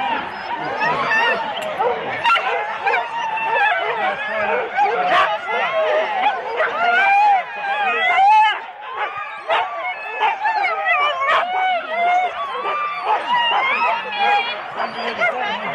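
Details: Four-dog Husky teams gathered for a sled start at Rendlesham in January 2016: a packed din of high yips, rising whines and sharp barks from numerous dogs, with occasional louder bursts, taped on analogue cassette.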